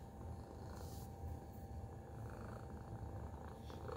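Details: A domestic cat purring, possibly while annoyed or content: a steady low rumble with no breaks, faint wideband rustles overhead.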